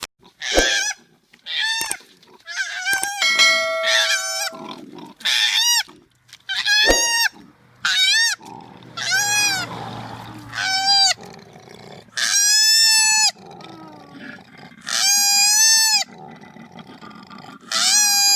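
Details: Koala (Phascolarctos cinereus) gives loud, shrill squealing cries in bursts of about a second, with quieter wavering whines between, after apparently being kicked out of a tree.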